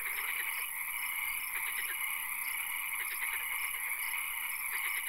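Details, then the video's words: Night swamp frog chorus, with occasional rain mentioned: rapid rattling croaks repeat about every second, layered over constant high-pitched droning and hiss. "Frog Calls, Swamp Sounds and Occasional Rain"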